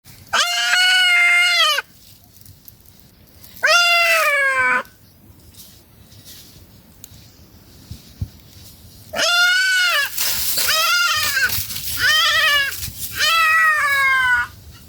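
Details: Family of goats eating in a forest: loud, wavering nasal bleats with rich harmonics, two long calls early then a cluster of three to four overlapping bleats after a quiet gap, some hiss between.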